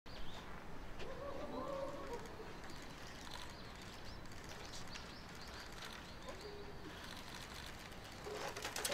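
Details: Giant panda Ri Ri bleating a wavering, nasal 'mehehe' on 7 November 2020 around 2 pm, pacing before Shin Shin's door and wanting into her room; one drawn-out call near the start, a shorter one later, over steady background hiss.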